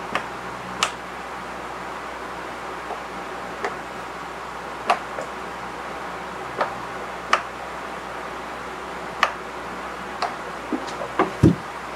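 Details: Quiet indoor room tone with a steady low hum and scattered sharp ticks and taps, no animal voice.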